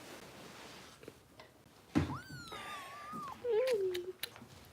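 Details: Bottle-fed foster kitten, Harper, with Los Angeles rescue volunteers indoors: one long, clear meow starts high, then slides gently downward and ends in a lower wavering squeak, with a brief thump and soft background noise.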